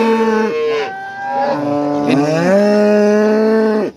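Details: Breeding cow with her calf at an East Java cattle market, possibly Nganjuk or Warujayeng: a long, loud, harmonic-rich moo lasting nearly four seconds, with a dip and rise in the middle, then an abrupt end.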